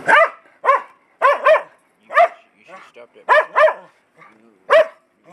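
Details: Domestic dog indoors that its owner says barks too much, being told to hush: sharp, ringing barks, single and in quick pairs, about eight over five seconds, with the owner's voice heard between them.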